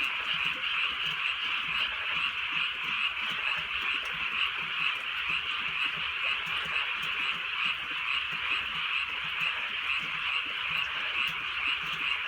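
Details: A steady chorus of frogs on a softly raining countryside night, many rapid trilled croaks blending into a constant high buzz, with gentle rain sound below.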